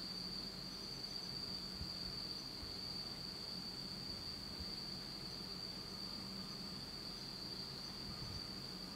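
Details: Insects singing on an autumn night in Japan in complete darkness; a continuous shrill ringing trill without pause, over a faint low background hum with occasional soft knocks.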